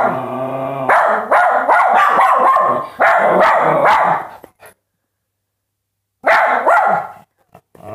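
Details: Dogs bark in quick, rough volleys after a low steady opening tone; the barking stops for about a second and a half, then a final burst follows.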